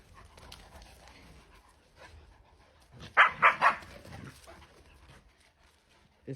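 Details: Small playful puppy yaps three times in quick succession, high, sharp barks bunched within half a second, with a woman speaking Georgian softly before and after.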